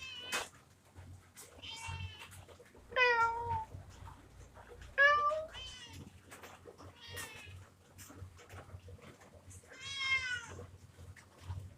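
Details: Repeated kitten mews, short and high, roughly one every two seconds, several sliding downward in pitch, the loudest near the middle; quiet indoor background with light handling noise.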